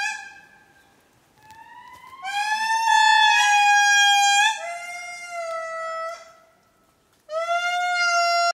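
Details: Male indri Rambo wailing at Mitsinjo park, Madagascar, family calling offscreen, captured with a Sony A7R2: loud drawn-out notes sliding upward, then falling to a lower held tone, a pause, and a fresh strong wail.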